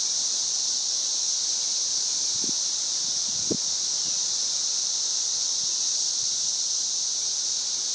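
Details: 13-year cicadas singing around a house in Missouri on May 29, 2011: a dense, unbroken high-pitched droning chorus, steady throughout, with a couple of faint low knocks midway.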